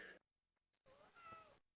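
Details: A domestic pet cat, recorded at home, gives a faint, drawn-out meow that rises and then falls. It is heard quietly after a brief sound at the start.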